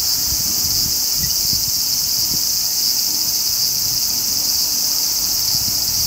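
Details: Steady shrill hissing song of the large brown cicada (Graptopsaltria nigrofuscata), constant in level with a faint waver, over a soft low background rumble.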